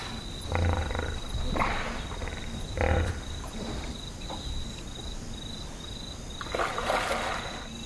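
A hippopotamus gives deep, rumbling grunts in short bursts over a steady high insect whine.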